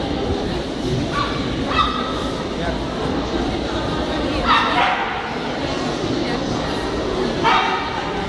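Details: Male Rough Collie in the champion class, Merlaze Magic Nathan Blessed, at the KLS Fauna show, 9 April 2016: three spaced, ringing barks a few seconds apart, rising above constant hall noise and people talking.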